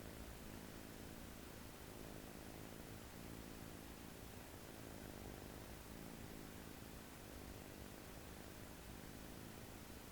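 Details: American Shorthair kitten asleep on its owner's arm on its first day home, fully relaxed and snoring: soft, low rumbling breaths that swell and fade roughly every three seconds over a steady background hiss.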